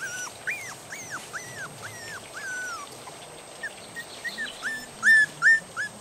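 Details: Three-and-a-half-week-old puppies of Mooney and Jordi, taken from their familiar home into the yard and woken from deep sleep, wanting their mother to feed them; high rising-falling whimpers repeated in a quick series, louder sharp squeals near the end.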